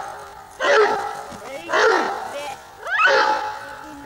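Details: Bayuma, a Giant Schnauzer from Blackmoore, gives three loud, deep, harsh barks spaced just over a second apart, each with a rough, rising onset.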